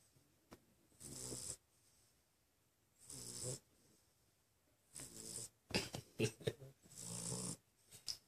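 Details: Pit bull asleep, lying down beside his brother, snoring loudly: rasping breaths roughly every two seconds with broad hissy bursts and low rumbles, later quicker snorts and a short human voice near the end.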